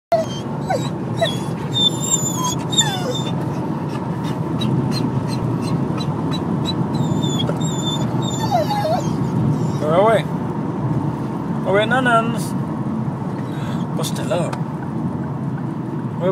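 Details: Buster, a pet dog, excited and making funny noises, whines in high, wavering pitches with short sliding yelps, repeated through the stretch over a steady low engine rumble, with some human talk.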